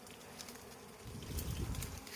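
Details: Bees buzzing during a harvest of six combs of wild honey, a low droning hum swelling louder in the second half, with some rustling.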